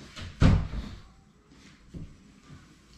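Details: A door or cupboard slams once in a small room, followed by fainter knocks and low background hum.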